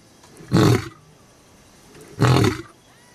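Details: Lion at Olare Orok producing two short, deep, grunting bursts about one and a half seconds apart, low and rough, with quiet outdoor background between.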